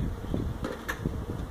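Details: Feral honey bees whose hive was built inside a tractor tire in a stack at a citrus orchard in Mission, Texas, disturbed during hive removal; a low, steady droning hum fills the short stretch, with a brief brighter rustle midway.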